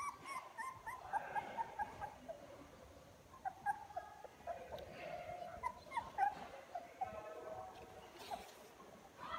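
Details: ['Young puppies beginning to walk and open their eyes, crawling toward their mother on 24 February 2022, give soft high whines and short squeaky yelps in scattered clusters, with gentle rustling between calls.']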